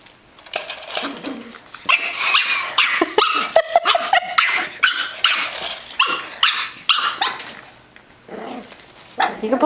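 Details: Female pug named Poot in rough play with another dog, sounding fierce and mean to assert she is boss: a dense flurry of ragged growls and snappy barks for several seconds, then quieter, scattered grumbles.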